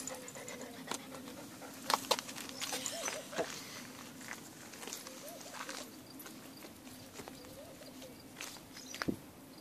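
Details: Dog chasing a cat, panting in soft rasping breaths over a steady low hum, broken by a few sharp knocks and scuffs.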